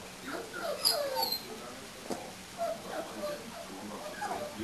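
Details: Four-week-old English Springer Spaniel puppies from a litter called Y, several voices overlapping in high, wavering whimpers and short yelps that rise and fall without pause throughout.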